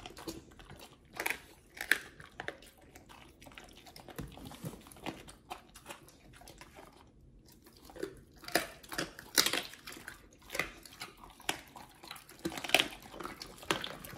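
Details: Two Pit Bulls, Oliang and nomyen, chew raw treats in a small room; irregular crisp crunches and bites, louder clusters after a brief pause midway, quiet between bursts.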